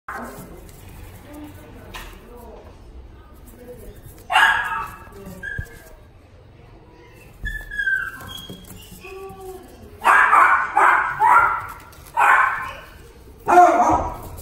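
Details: Jack Russell Terrier in a pet shop, first quiet, then high whining yelps and a run of quick excited barks toward the end, with faint background murmur.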